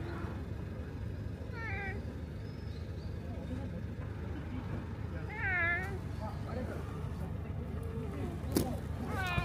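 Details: Orange tabby stray cat at a fishing port, stroked on its back and rubbing against feet, giving three short, faint, downward-bending meows spaced several seconds apart amid low rumbling background noise and a sharp click.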